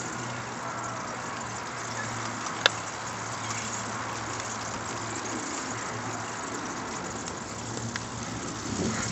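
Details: Steady broadband rush like running water or traffic, with a low steady hum and one sharp click.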